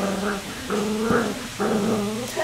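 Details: Black Cocker Spaniel puppies, three of them playing, give harmonic whining growls in three drawn-out bursts of about half a second each, rising and falling, with short pauses between.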